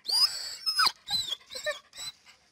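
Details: Dog whining and yelping to be let inside, a series of five or six high, squeaky bursts with sliding pitch. The first bursts sweep sharply up and down, and the later ones are shorter and softer.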